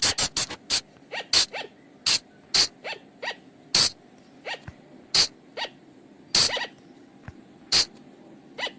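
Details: A flying lemur lure recording from the forest, used at night to attract the animals: sharp, very short clicking bursts, some loud and some softer, repeated irregularly, several per second at times, with quiet gaps between.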